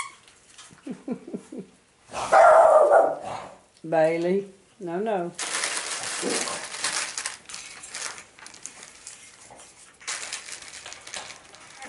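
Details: Boston Terriers, including Shelby, Duffee and Cinnamon's puppies, playing together on 13 September 2017: a quick run of short yaps, a loud rough burst, then two longer wavering bark-howls, followed by a stretch of hissing noise and a human voice.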